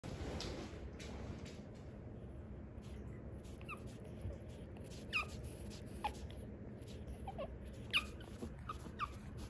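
A pug gives a few brief, high whimpers that slide downward, over a steady low rumble.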